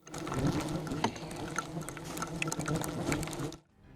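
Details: Hornet colony swarming loudly inside an abandoned shed in Patterson, Louisiana, its nest covering the whole floor, while an exterminator removes it by hand; a dense droning buzz is broken by sharp ticks of bodies striking the camera, then cuts off abruptly near the end.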